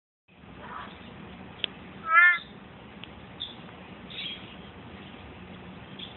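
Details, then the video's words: On a night in mid-February, a male big-eyed tree frog keeps calling even with a phone light on him, giving one short, loud, nasal note over a soft background hiss. "Big eye tree frog calling!"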